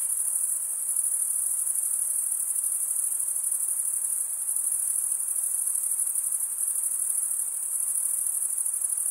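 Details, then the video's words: Crickets chirping through stridulation, a wing's edge scraped along the comb-like teeth of the other wing: an even, piercing high trill with rapid rhythmic pulses running without pause. "Most relaxing cricket sound for 8 hours"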